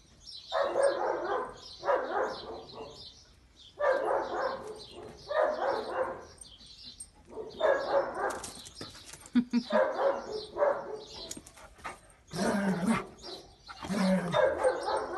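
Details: Six-year-old neutered rescue German Shepherd in the UK, nearly blind and described as playful, barking in rough, broad bursts of about a second, in pairs and runs with short pauses, some overlapping voices.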